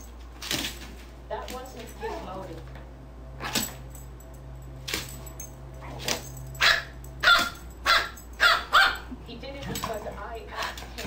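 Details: Playful barking from JubJub and Daisy, the black-and-white dog, during a play session: scattered barks at first, then a quick run of loud, evenly spaced barks, with quieter voice-like sounds in the gaps.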